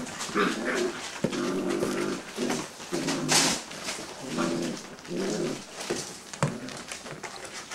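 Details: Greater Swiss Mountain Dog puppies, six weeks old, making soft, nasal whines and grumbling whimpers in brief, uneven bursts, with rustling and occasional sharp taps and clicks indoors.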